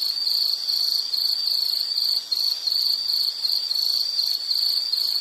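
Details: Steady insect call made of rapid, evenly spaced high buzzy pulses that repeat without pause; no birds, voices or other noises.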